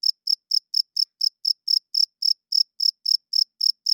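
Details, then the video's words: Loud nocturnal cricket chirps, bright and high, coming quickly at about four per second in an unbroken, metronome-like series. "Cricket Chirping Sounds - Cricket klinkt 's nachts luid"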